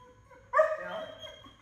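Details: Six-month-old male German Shepherd, nervous around other dogs, just dropped off for a board-and-train program during obedience commands indoors; a single sudden high yelping whine that slides slightly downward and fades over about a second.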